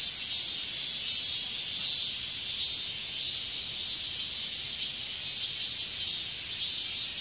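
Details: A katydid (Hexacentrus japonicus) gives a continuous high-pitched shimmering buzz, dry and hiss-like, with only slight pulsing in intensity, carrying on without a break.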